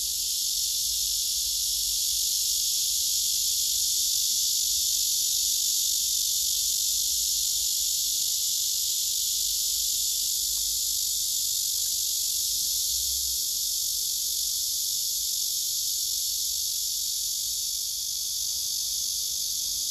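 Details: Male cicadas singing on a tree trunk where several cicadas gather and rival males push one another away, filmed by phone: a steady, dense, high-pitched buzzing drone that holds unbroken for the whole stretch.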